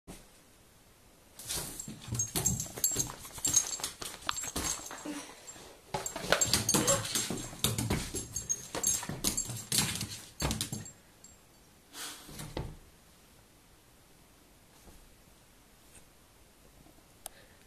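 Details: An Irish terrier acting wildly indoors gives bursts of rough, scratchy whimpering and yipping sounds from about 1.5 to 11 seconds, with a short burst near 12 seconds, then near silence.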